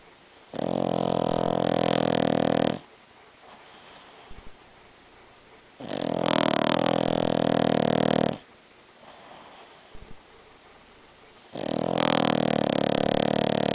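A Boston Terrier snores in long, rasping, rumbling breaths, each lasting over two seconds.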